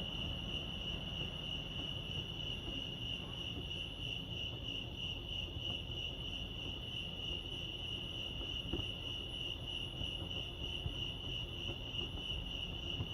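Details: Crickets chirping at Lake Arrowhead, California, a steady high trill pulsing rapidly without pause over thirteen seconds, with a soft low rumble of background noise underneath.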